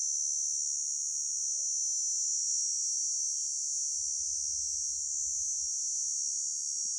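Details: Grasshopper producing a continuous, high-pitched shrill buzz that holds steady and unbroken for the whole stretch, with only faint low rumble beneath.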